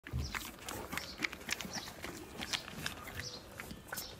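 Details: Horse (Equus caballus), chewing sounds.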